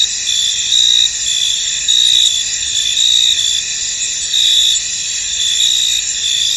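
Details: Crickets calling in a foggy field: continuous high-pitched buzzing trills, punctuated by stronger chirp bursts about once a second that rise and fall in loudness.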